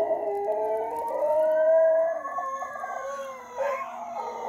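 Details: Two dogs howl in long, wavering tones at night, joining in with a fire truck siren passing the house; one of them is howling for the first time.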